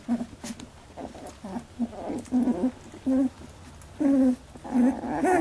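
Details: Labradoodle puppies, 18 days old, in their first milk fight: short tonal whines and squeals, some rising and bending, come in quick bursts with brief gaps in a small indoor room.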